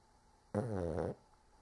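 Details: Cork, a male dog, snoring indoors: a single low, rasping, harmonic-rich snore of about half a second that swells in and cuts off sharply, followed by quiet room tone.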